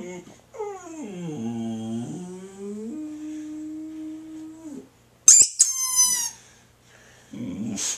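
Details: Boxer dog answering a squeaky toy with a long wavering howl that dips, then levels into a steady held tone for about four seconds, followed by bursts of sharp high squeaking.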